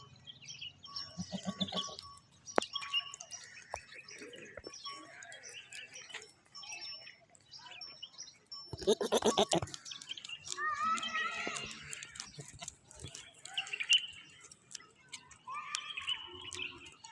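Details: Goats in a village in the morning, giving harmonic bleats clustered in the middle of the recording, with scattered clicks, rustling and faint background music throughout.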